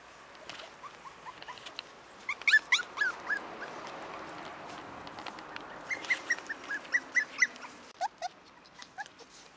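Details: Five-week-old Cairn Terrier pups, born 28 June 2015, let out thin rising whines and short squeaky yelps in uneven runs, several voices overlapping against faint rustling.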